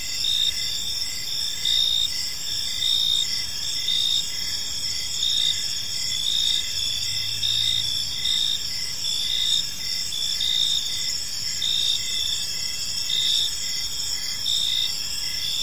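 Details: Park at evening filled with cricket chirping, a steady shimmering high trill from several insects with regular pulses of loudness, plus a brief low hum partway through.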